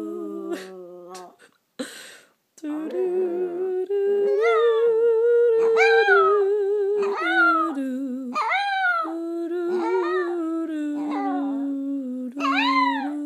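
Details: Pet chihuahua Chico, five years old, howls along with Christmas carol singing at home. A series of arched, rising-and-falling wails repeats over a sustained human hum. A brief rustle and a pause come early, then several louder high yelping howls follow.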